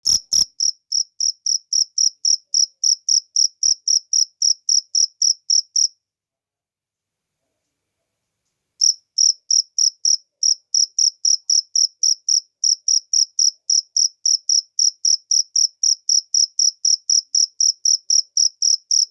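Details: Cricket chirping in natural surroundings: loud, steady high-pitched pulses repeated about four times a second, a gap of silence near the middle, then the same rapid even chirping resumes.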